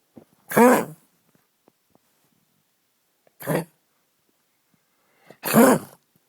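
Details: Senior pug with a terrible cough, recorded for the vet: three harsh, throaty coughing bursts, the first and last loudest, spaced about two and a half seconds apart with quiet between.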